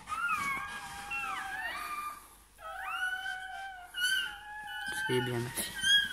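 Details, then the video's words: Newborn Bernese Mountain Dog puppy at birth, indoors: drawn-out high whining cries that bend and slide in pitch, mixed with a woman speaking soothing French words and a short low voiced sound near the end. "Naissance d'un chiot bouvier bernois"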